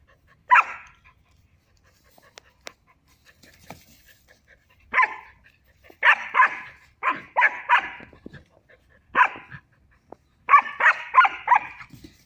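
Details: Playful female German Shepherd pup Kaali, three months old, romps with a male Barbari goat at a Muzaffarpur, Bihar goat farm; sharp, high barks come singly and in quick runs of three to four, growing busier toward the end.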